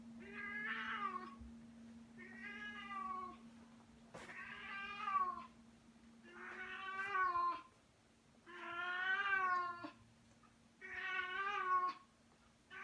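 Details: Female house cat carrying her favourite toy in her mouth calls repeatedly, giving muffled, wavering meow-like wails of about a second each, roughly every two seconds, over a constant low electrical hum.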